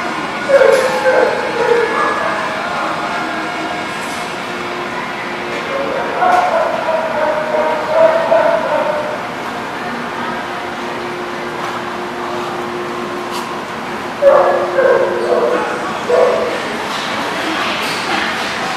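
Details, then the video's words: Dogs at a dog lot barking on October 18, 2019: scattered yelping barks at irregular intervals, some in quick bursts, over a steady background hum with occasional voices. "The Barking Lot"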